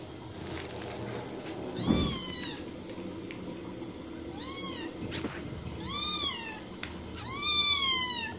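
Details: Domestic cats and kittens meowing: three drawn-out, arching meows with bright harmonics, one short and faint in the middle, spaced a few seconds apart over a steady low background hum.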